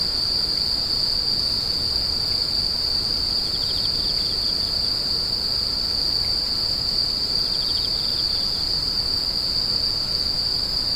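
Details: Continuous piercing insect drone, two short pulsed trills breaking in around the middle of the stretch, with even low background noise throughout.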